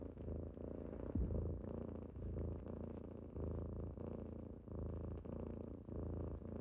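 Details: Morning purring of kittens that wake their owner, a loud low rumble rising and falling with each breath in roughly one-second cycles, one soft knock.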